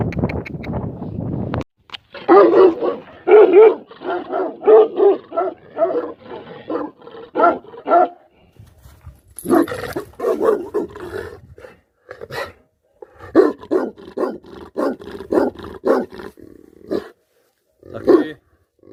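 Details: Tibetan Mastiff, known in Nepal as Bhote Kukur, a livestock guardian dog breed, barking in repeated loud bursts of deep, rough barks, with short pauses near eight and twelve seconds before the barking resumes.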